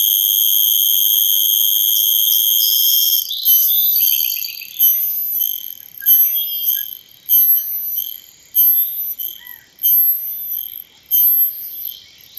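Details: Cicada calling with a high, hissing buzz: a steady drone for about three seconds, then breaking into rhythmic pulses roughly once a second, each a sharp-onset rasp that fades before the next.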